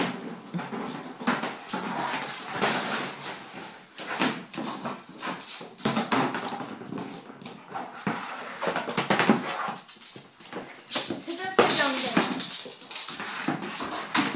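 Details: Bull terrier Monty plays wildly with his basket during his 'funny hour', with irregular whines and snuffling grunts broken by loud rustling, thumping and scraping of wicker in a small indoor room.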